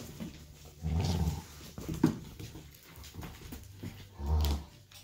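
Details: Golden retriever puppies play with their family indoors one evening; two deep, short growling rumbles about three seconds apart, with small scuffles between them.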